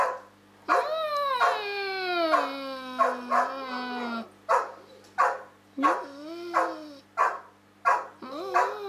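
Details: A pet dog in a long talking exchange with a person: a sustained falling howl-like note followed by a series of short, rising and falling yips and yowls at irregular intervals, with faint music.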